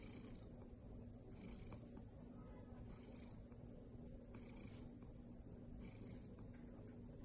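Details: Maple, a golden British Shorthair cat, purring indoors: a steady low rumble with brighter breathy swells about every one and a half seconds.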